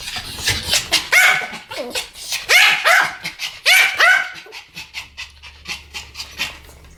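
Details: Duet of two Pomeranians yapping together, clear ringing barks about three per second, peaking in the middle, then tapering into softer, thinner yaps.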